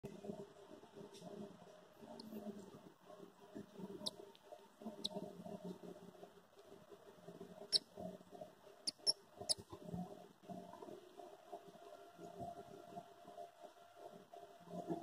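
A young squirrel gives soft, scattered squeaks and clicks over a low background hum.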